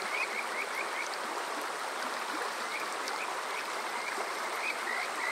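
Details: Kajika frog by a stream at Water Park Shirayama, Yokoze, Saitama, Japan, on a summer night: short groups of rising whistled notes broken by pauses, partly masked by loud rushing water.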